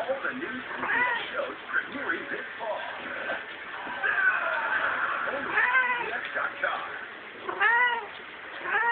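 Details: Domestic cat in heat indoors at a friend's house, uttering repeated wavering, arched yowls with stacked harmonics, the loudest near 5.5 and 7.7 seconds, while people talk over it.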